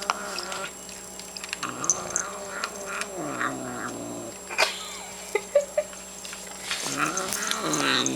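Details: Domestic cat growling while chewing food, annoyed at another cat bothering her; low, drawn-out rumbling growl with wavering pitch, rising and falling in long stretches, with faint clicks and chewing noises throughout.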